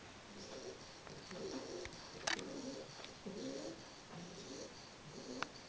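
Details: Three-month-old English Bulldog Carles asleep and snoring, short rasping low breaths recurring about every second, broken by a sharp click near the middle, in a quiet indoor space.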